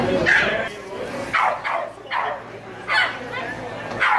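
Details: Barking at a lure coursing event featuring a 4¼-month-old Rhodesian Ridgeback puppy: a series of short, sharp barks at irregular intervals, about six in four seconds, over a public-address announcement and crowd noise.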